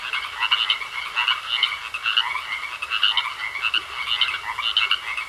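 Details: Pond frogs in full chorus: rapid clustered croaks repeating in irregular bursts, bright raspy pulses over a constant thin ringing tone, no other sounds standing out.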